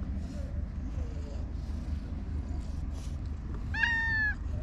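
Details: Stray cats, a pink cat relaxing with a mischievous trio at a Japanese park at peaceful dusk; a single short, clear meow with bright harmonics near the end, over a steady low traffic rumble and faint voices.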